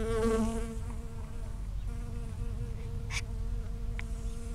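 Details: A single bee foraging from flower to flower in a strawberry field on 19 June 2011, recorded from 5 cm or closer: a steady low droning hum with rich overtones, loudest in the first second, with a couple of brief clicks later.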